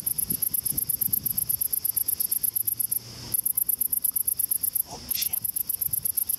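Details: Great green bush-crickets at about 9:30 in the evening near water, very close and cicada-like, give a loud, very high, buzzy chorus of rapid pulses, several each second, with a man speaking softly beneath.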